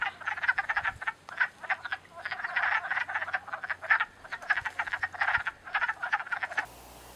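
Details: Male wood frogs calling to females from the water of a spring breeding pool in North America; dense, unsynchronized chuckling croaks in rapid bursts blend into a continuous chatter, ending abruptly.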